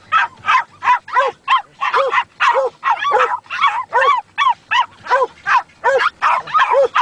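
A Schipperke sings in quick, arched yelps, several each second, in a steady run.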